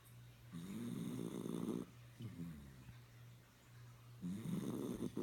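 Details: Sleeping puppy named Jo-Jo snoring indoors. Rasping, harmonic snores swell and fade in long drawn breaths, with a softer snore between them. A steady low hum from a pet water fountain runs beneath.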